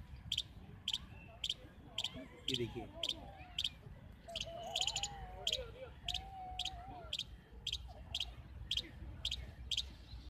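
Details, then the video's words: Young squirrel on a tree in Central Park, Jaipur, India, calling continuously: sharp, clicky chip notes repeated about twice a second in a steady series, with park background noise and faint wavering whistles. "Mysterious sound of Cute Baby Squirrel on Tree"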